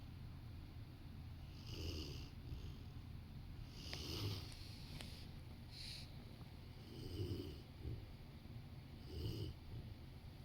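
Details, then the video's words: Sleeping next to someone working on the sofa, a Rottweiler snores in a calm room. Its rough inhaled snorts recur about every two seconds, mixed with a few light clicks and faint shuffling. "Rottweiler taking a nap while snoring"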